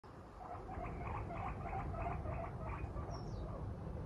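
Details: Female pet guinea pig Moru-chan, out of her cage and staring at her owner who is oversleeping past the usual 6:30 wake-up, gives a steady run of short, tonal, harmonic squeaks, about three per second, over low room hum.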